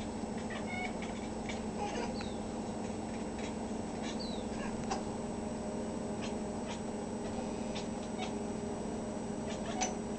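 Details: Talkative pet cat Oliver, once called Nate and adopted from PAWS of Coronado, meowing while watching a hummingbird; short sweeping chirp-like calls, some rising and some falling, cluster early, then fade to sparse clicks against a constant background drone.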